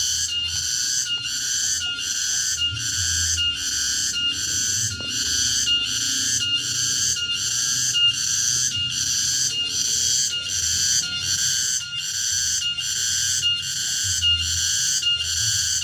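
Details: Cicada singing in the late afternoon in a remote rural area: a loud, shrill, buzzy drone broken into regular pulses a little under a second apart, steady throughout, with a faint low rumble beneath.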